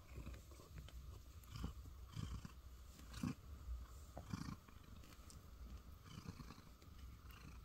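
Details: Contented domestic cat settled in a basket in a soundproof booth, purring continuously; the deep, even rumble pulses softly, broken by light rustling and small clicks from movement.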